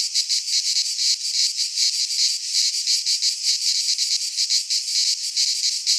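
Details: Midsummer chorus of cicadas in a pine forest in Greece, a steady shrill electric buzz that swells and dips in quick regular beats, with no other sounds present.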